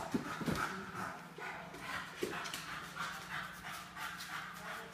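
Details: A 9-month-old bulldog playing basketball, breathing in quick, breathy pants and snuffles, with a couple of short, low grunting yelps early on over steady indoor background noise.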